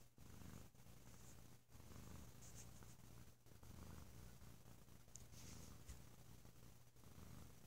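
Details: Deep, loud purring from a sleepy male cat lounging on a lazy holiday weekend: a steady low rumble throughout, pulsing gently with each breath, with slight rustles and brief dips between breaths.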